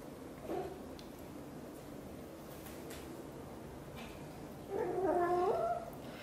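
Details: Grooming her tiny kitten Piano, British Shorthair mother cat Xaxa (blue golden) lets out a faint brief chirp, then a longer warbling meow near the end, amid quiet indoor background hiss.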